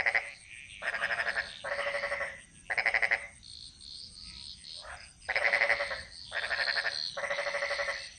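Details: Chorus of frogs in the jungles of Bali. Harsh, buzzing croak bursts, each lasting roughly a second, trade off quickly between callers. A quieter patch of faint chirps falls in the middle, over a constant high-pitched hum.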